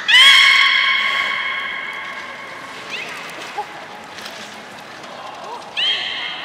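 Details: Beluga in an aquarium pool at Port of Nagoya Public Aquarium, Japan, 3 February 2019, at feeding and play time. A loud, nasal, harmonic squeal opens and slowly fades; a quieter chirp follows, then another squeal near the end.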